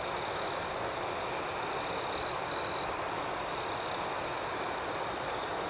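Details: Crickets at night keep up a continuous shrill trill beneath rapid, regular chirp pulses. A brief pair of brighter, louder trill notes stands out in the middle.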